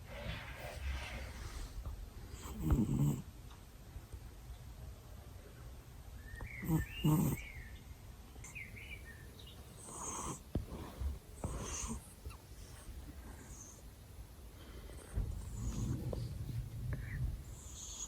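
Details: Sleeping male cat snoring loudly right beside someone's ears indoors; low rumbling breaths recur roughly every four seconds, a few sharper snort-like bursts standing out over soft room noise.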